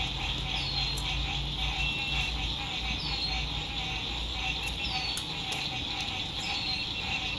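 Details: Spring 2021 sunset by a lake, frogs calling near a camping site in pleasant weather: continuous high buzzy trilling, short descending whistled notes roughly every second or two, background traffic drone and occasional clicks.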